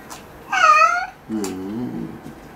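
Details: Domestic cat meowing while its claws are being trimmed: one clear, high, arched meow lasting about half a second, followed by a softer, much lower drawn-out voiced sound.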